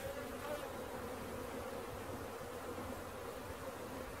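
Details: Constant hum of a honey bee swarm as it is caught, an even, unbroken buzzing with no pauses or changes in pitch across the few seconds.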